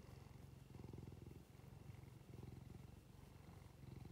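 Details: Domestic cat purring as it is stroked, deep continuous rumble pulsing steadily, with short pauses at each inhale roughly every second and a half.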